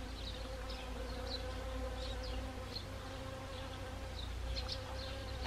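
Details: Honeybees working Siberian chrysanthemum flowers in autumn, Gangwon Province, South Korea, 1 October 2020; soft even humming drone with harmonic bands, accompanied by frequent short high chirps from other creatures nearby.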